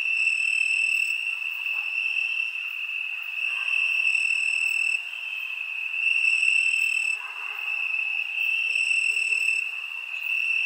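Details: A summer night chorus of crickets: one unbroken shrill ringing tone with higher overtones that come and go. The volume rises and falls in slow pulses lasting a few seconds each.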